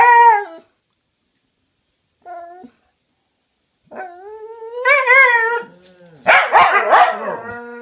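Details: Cute dogs talking to each other: short tonal whines, one rising and wavering near two seconds long, separated by silences, then a burst of rough barks at the end.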